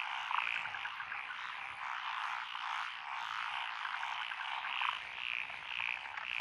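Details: Rice-paddy frogs among lotus fields in Echizen, Fukui, Japan, 12 June 2021, forming a continuous croaking chorus that swells and fades, topped by repeated short bright chirps.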